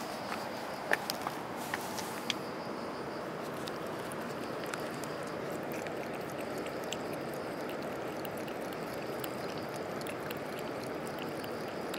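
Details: Steady broadband outdoor hiss with a few sharp clicks and taps in the first three seconds, like footsteps or handling, and no animal voice.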